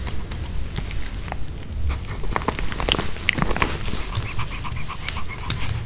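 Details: A Pomeranian eats a homemade chicken-heart and bell-pepper kebab, chewing noisily with wet crunches, clicks and soft panting breaths.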